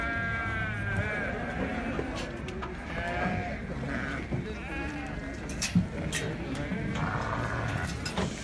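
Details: Sheep in Morocco bleating: a few wavering, harmonic bleats rise and fade over steady low rumble, with faint human voices and soft music in the background.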